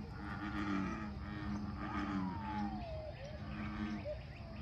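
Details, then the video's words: Bullfrog chorus at Lake Fairfax: several low, throbbing croaks in quick succession. A sliding, falling whistle cuts across the middle, and there is a soft outdoor hum behind. "Bull Frogs @ Lake Fairfax"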